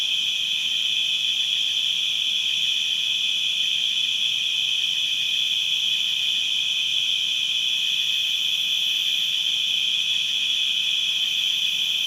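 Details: Distant crickets keep up a continuous shrill trill at one steady pitch, even and unchanging throughout, over quiet background hiss.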